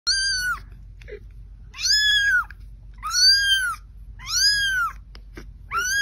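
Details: Domestic cat meowing, five loud drawn-out meows spaced about one to one and a half seconds apart, each harmonic and arched, rising then falling, with faint clicks between calls in a quiet indoor setting.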